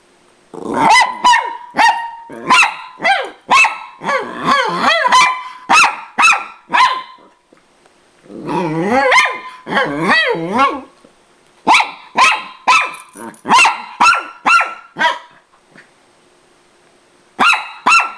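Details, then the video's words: Two Miniature Pinscher sisters fighting for attention as the owner arrives home, the bigger one barking angrily and the other fighting back; rapid overlapping high barks and growly yips, with pauses between bursts. "Miniature Pinscher Angry"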